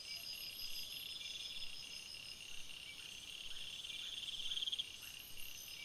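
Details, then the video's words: Forest crickets at night produce a steady shrill chorus; a short buzzy trill stands out near the end, with faint rhythmic chirps throughout. "Crickets Sounds, Night Sounds"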